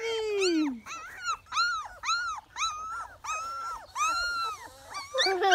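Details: Labrador Retriever puppies born on 29 April 2018 near Ravenna, Italy, with both parents present; a string of arched, high-pitched whines and yelps repeats roughly every half second, clear and close, over faint low background noise.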